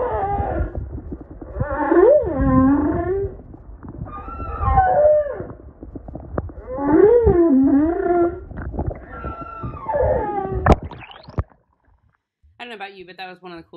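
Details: Underwater humpback whale singing off Maui, Hawaii, heard from kayaks; swooping moans and upsweeps repeat in phrases every few seconds, then a brief silence and a buzzy, harmonic tone at the end.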